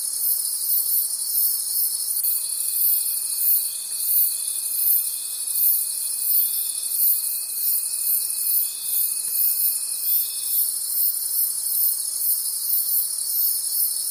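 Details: Crickets calling at night in a forest: a dense, shrill chorus pulsing roughly three times per second, with a thin steady whistle-like tone entering after two seconds and fading near ten seconds.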